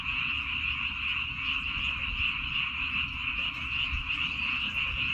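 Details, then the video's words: A dense chorus of frogs calling in rice fields on Baengnyeongdo Island, Korea, a steady high trilling wash with a low rumble beneath. "[백령도 논에서 우는 개구리 울음소리] ASMR. 시골에 캠핑 나온 느낌으로 잠시 멍때리고 힐링하기!"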